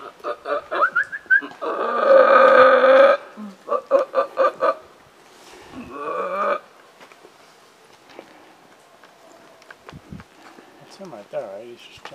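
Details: Wild howler monkeys overhead in Belize, answering another group: a loud, harsh roaring burst with rapid pulsed grunts around it, then a second shorter roar, fading to quieter rough calls; people talk nearby.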